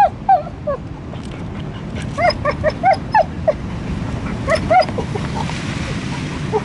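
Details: Wild dog on Easter Island giving rapid, high, whining yelps in bursts, each rising and falling, with pauses between clusters, over steady low rumbling background noise.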